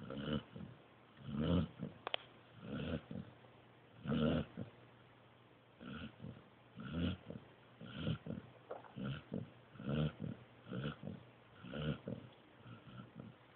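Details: Joby, a pointer pup, snoring while asleep: low, breathy bursts with a faint voiced hum, coming about every one to one and a half seconds, some breaths quick and doubled, with one sharp click near the start.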